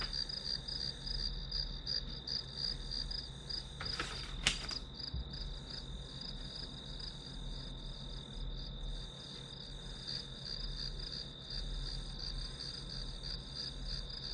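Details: Grass insects trill in regular high pulses over a steady whine while someone studies; a brief clatter of handled objects sounds around four seconds, then the chirping continues evenly.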